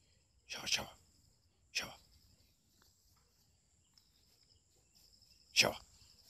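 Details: A puppy playing with a cow in a village barks at it, giving three short, sharp yaps over a steady high insect drone.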